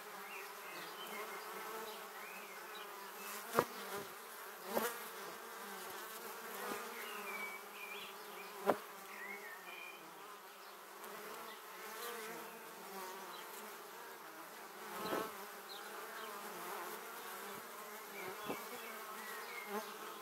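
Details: Many honey bees flying to their beehive, filmed close with a 360 camera in 2017: a steady humming drone with several brief loud buzzes as bees zip past, plus scattered faint high chirps.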